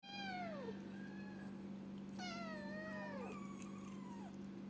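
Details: Kitten meowing indoors: two or three clear, drawn-out meows, each starting high and sliding downward, the second longer and wavering, over a steady low electrical hum.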